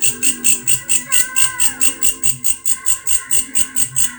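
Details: A grasshopper's odd call: evenly spaced buzzy chirps, roughly two per second, sitting high in pitch, while a brief whistled tone rises and falls near the middle and soft low thumps sound beneath.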